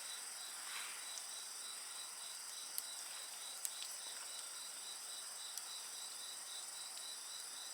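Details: Continuous high shrill trilling from a chorus of insects, unbroken throughout, while a bonfire crackles with occasional loud pops and snaps.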